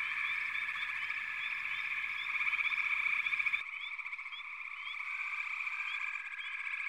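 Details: Dense frog chorus of layered high trills. Frequent upswept chirps ride over it, the low background drops out abruptly partway through, and the calling continues with pulsing, uneven loudness.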